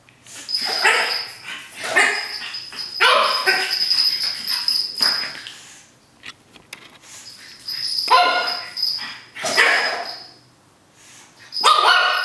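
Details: Excited three-month-old pug puppy named Cookie goes wild with a paper towel roll, letting out clustered yappy barks and squeals that rise and fall in quick bursts, separated by quieter stretches of scuffling.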